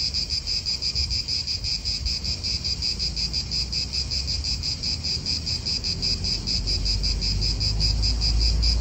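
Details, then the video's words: Cicadas in an Italian park: a steady, dense pulsing drone with bright bands high in pitch, throbbing quickly and evenly throughout, over low rumbling wind and distant traffic. "italian park ASMR Cicadas wind real atmosphere in an Italian park birds"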